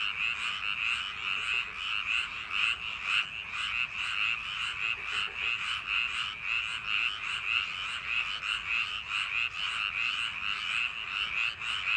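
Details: Frogs calling on a summer night in paddy fields: a dense, continuous chorus of overlapping croaks forming a steady high churring band, with pulses rising and falling in loudness roughly every half second.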